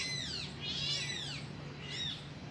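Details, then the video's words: Kitten crying out to its mother: three high, arched meows in quick succession, the middle one loudest and longest, with a soft low hum underneath. "suara anak kucing manggil induknya"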